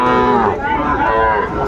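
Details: Market cattle, bulls being sold to farmers in Chattogram, Bangladesh, 17 August 2024: one sustained, nasal moo with a dip midway, then steady lowing, while faint voices murmur behind.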